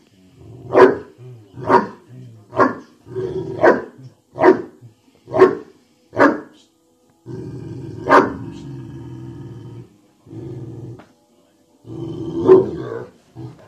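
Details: Dogue de Bordeaux described as sounding like a bear: a run of deep, booming barks roughly every half second, then long low rumbling growls broken by further heavy barks.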